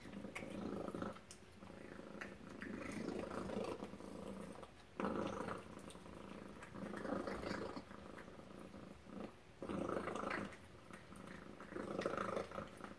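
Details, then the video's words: Purring domestic cat Tacy at breakfast: a low rumbling purr coming in long bursts separated by short breaths or pauses, roughly every two seconds, with faint indoor clicks behind it. "Tacy Cat Purring Breakfast"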